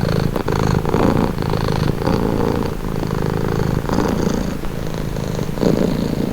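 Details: Domestic cat purring in a relaxing recording: a close, rattling low hum rising and falling with each breath, a few brief soft clicks near the start, otherwise steady and uninterrupted.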